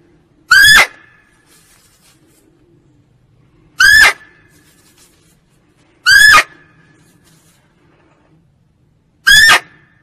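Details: A female barking deer gives loud, short, harsh barks every two to three seconds; the recording is offered as a call for luring deer when hunting.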